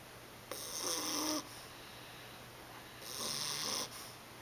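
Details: Asleep indoors, the English Bulldog pup Monty, 11 weeks old, gives two hissing, breathy snores just under a second long, separated by a quiet pause of about two seconds.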